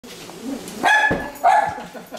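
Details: A small female Schnauzer gives two sharp, high barks in quick succession to greet guests, with a person speaking nearby.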